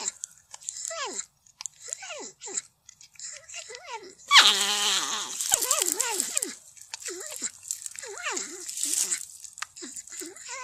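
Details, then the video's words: Porcupine giving a series of high, whining, wavering squeals with a falling and rising pitch, some short and some drawn out, with a louder, harsher burst of squealing and crunching noises partway through. "porcupine sound//صوت النيص"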